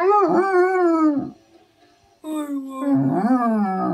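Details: A pet Basset Hound howls while being taught to say "I love you"; two long, wavering, voice-like howls with a short pause between, the second sliding down in pitch.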